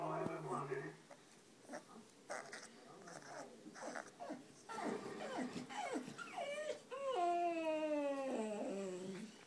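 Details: Male American Bully puppy, 2.5 weeks old, gives high wavering whines and squeals that slide downward, the longest near the end, after a man speaks over earlier rustling.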